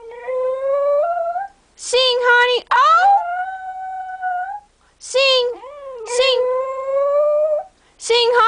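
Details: Indoor Cocker Spaniel 'singing' on command, recorded June 2008: several wavering howls, some sliding upward, alternating with the owner's repeated spoken prompts to sing.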